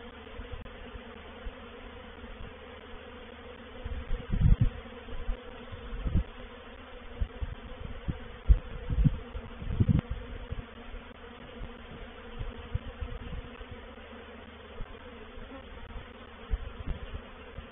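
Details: Honey bee reproductive swarm entering a bait hive (swarm trap) at Painted Peacock Manor, 04/07/21: dense, continuous low buzzing with frequent louder surges as bees pass close, several near the middle.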